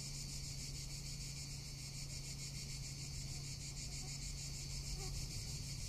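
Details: Summer cicada chorus in Tuscany: a continuous shrill, rapidly throbbing drone that holds an even level throughout, with a low rumble beneath it.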